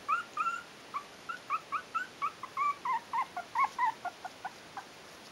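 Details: Whimpering Yorkshire terrier puppies, four weeks old, from a breeder's litter "A": a regular chain of short, high squeaks, about three per second, rising then falling slightly, clean against a quiet background.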